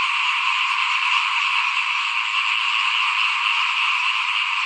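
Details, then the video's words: Frogs in front of a house while rice is being sown, 2021, keep up a nonstop chorus of shrill, grating trills that blend into one steady drone. "เสียงเขียดร้องหน้าบ้าน ตอนหว่านข้าวเตรียมปลูกปี2021"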